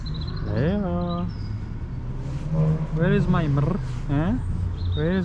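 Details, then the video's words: Leo the cat answers his owner with his own distinctive meow: several drawn-out, arching meows, rising then falling, in short bursts, while a man's voice calls and talks to him over a steady low hum. "Leo the cat answers me with his unique meow"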